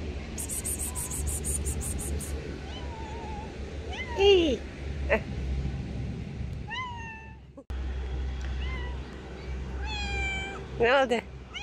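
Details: A friendly male street cat gives several rising then falling meows, a few close together near the end, over a steady low hum, with a brief burst of speech-like sound.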